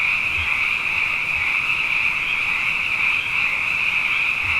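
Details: Night chorus of many frogs, plentiful after two consecutive wet years: a steady, continuous shrill trill that holds the same pitch throughout, with a few faint low bumps.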